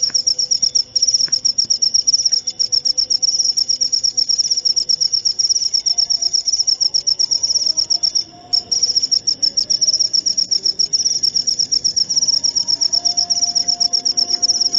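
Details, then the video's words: Shrill cricket song of rapid, evenly pulsed high chirps, about four per second, running almost unbroken with one brief pause midway; soft faint sounds in the low background. "Suara Jangkrik"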